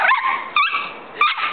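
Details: A big dog and a little dog at play, one picking on the other. Short high yips and a whiny bark rise and fall across the clip, with a sharp yelp near the end.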